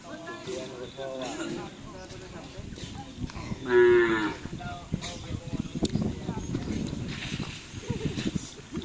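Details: Karapan sapi bull racing practice in Pamekasan, Madura, Indonesia: one loud, sustained bellow of about half a second rises out of a noisy crowd, with shuffling and voices before and after.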